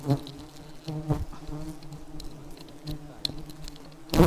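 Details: Very aggressive honey bees buzzing in a steady low drone, a few close passing whines, ending in a sudden loud burst of rustling noise.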